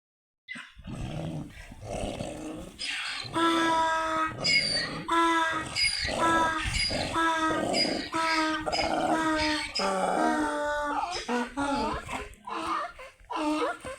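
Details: Donkeys fighting in Tharparkar, with harsh braying calls in a run of stacked, rasping notes, loud for about ten seconds, mixed with snorts and grunts.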